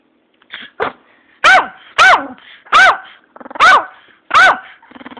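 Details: Pomeranian dog barking indoors: a few soft yips, then five loud, sharp, ringing barks spaced roughly every seven tenths of a second, each with a rising-falling tonal peak, and faint rapid panting or snuffling between barks.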